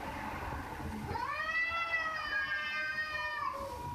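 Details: One prolonged, rising-then-level cat meow lasting over two seconds, rich in harmonics, preceded by a softer call, with steady low background noise.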